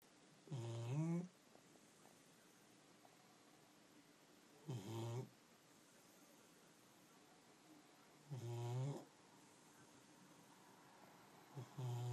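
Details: Pet dog snoring indoors: low, rumbling breaths with a rising, slightly tonal edge, recurring roughly every four seconds, separated by quiet hiss.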